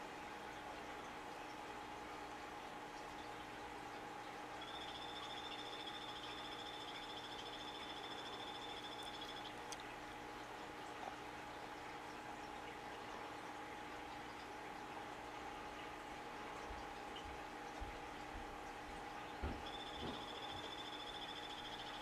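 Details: Captive male phantasmal poison frog, Epipedobates tricolor of the 'Morospunga' locality, calling: a high, thin, buzzy note held steady for about five seconds, then a second call starting near the end, over a constant low electrical hum.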